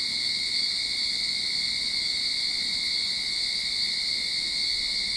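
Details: Sydney backyard cicadas at the opening of summer produce an uninterrupted shrill, ringing buzz, even and continuous, with nothing else standing out.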